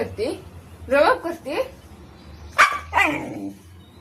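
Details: Siberian Husky indoors, barking back while its owner scolds it and tells it not to bark at her; several short, harmonic yowling barks in two bursts, with a woman's scolding voice in between.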